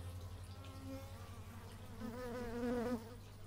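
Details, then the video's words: Bees recorded in stereo with an x/y microphone, one buzzing insect swelling louder as it passes close near the end, a steady droning tone with rich overtones, over a constant low hum in the background. "Bee movie but its just bees"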